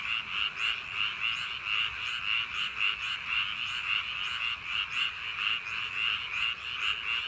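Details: Many frogs in rice paddies on a summer night, croaking together in a continuous rattling chorus. Rapid overlapping pulses swell and fade roughly once a second above a faint background hiss.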